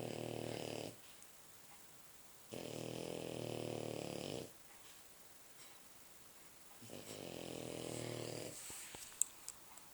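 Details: Sleeping French Bulldog snoring heavily indoors: three deep, rattling breaths of one to two seconds each, spaced by short silent gaps, ending with a few small clicks.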